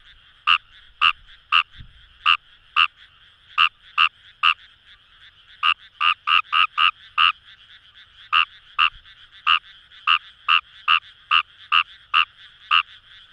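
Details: Numagaeru (Fejervarya kawamurai) in Itoshima's Kamo River paddies, Fukuoka, Japan, giving a long run of sharp croaks, speeding into rapid bursts then settling into a steady beat, backed by a dense chorus of frogs.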